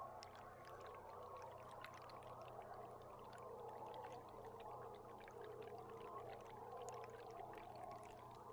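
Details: Beluga heard underwater from a live boat cam on July 16: a dense chorus of chirpy, squeaky whistles wavering in the mid range, sprinkled with rapid sharp clicks over a steady low engine hum.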